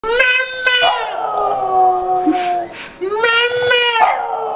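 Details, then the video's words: A Boston Terrier "sings" to his owner, howling in long, wavering tones that rise and fall like a song. "boston terrier singing to his mommaa :)"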